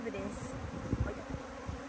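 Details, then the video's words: Honey bees swarming in their thousands around a person, producing a thick continuous droning buzz with brief louder bumps near the middle and a faint high whine early on. "10,000 Swarming bees are flying around me"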